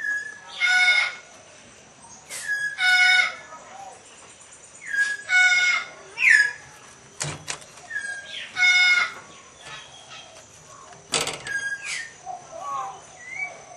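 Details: Asian leopard cat mating with a Bengal cat, hybridizing: harsh, strained squalling bursts about half a second long, repeated roughly every two seconds, with a few quieter cries and faint background sounds between them.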